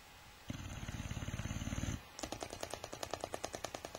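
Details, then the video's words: A Boxer dog sleeps, its loud throaty snore vibrating for around one and a half seconds before its loose lips flap out in a quick series of sharp, irregular clicks. "Boxer dog snoring lips-a-flapping"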